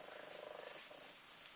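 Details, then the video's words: A Minskin cat waking up a child gives a quick, throbbing purr, pulses clear for about two-thirds of a second before thinning into quiet background hiss. "Twix minskin cat wakes up my autistic son"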